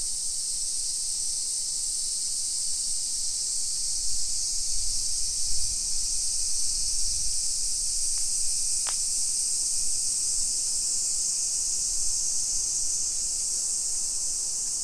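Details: High, even, sizzling chorus of cicadas fills a suburban Nisshin street near Nagoya, Japan, at 1 PM in late July 2021, with a short low rumble and a single sharp click midway.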